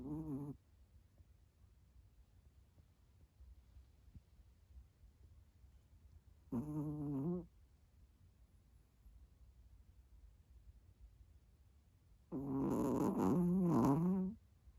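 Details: Pet Chihuahua asleep and snoring loudly: three separate low, rattling snore bursts, the last one longer and wavering, with near silence between them.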